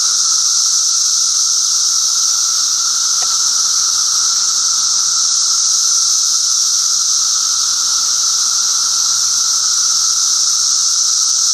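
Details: Massed Brood XIII 17-year periodical cicadas sing from trees and bushes in northern Illinois at 2:30 p.m. on a warm, sunny June 9, 2007. A steady, pulsing drone with a lower hum and a high hiss blends the songs of three species.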